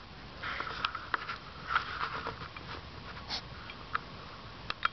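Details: Loud pig-like snuffling from a European hedgehog filmed outside at night, 10pm, 3 September 2009; dense run of quick wet sniffs and snorts across the whole stretch, no other sounds.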